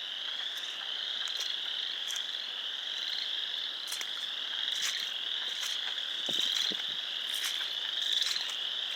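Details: Spring chorus of frogs at a pond in Sanborn, New York, 29 March 2020: steady high trilling from many animals with individual sharp peeps repeating about 35 times a minute above it.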